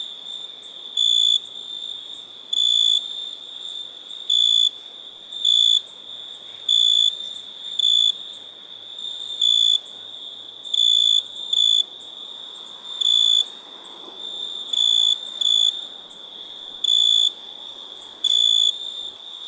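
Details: A cricket chirps steadily, giving brief bright trilled bursts roughly every second over a constant faint high-pitched drone and light background rustle.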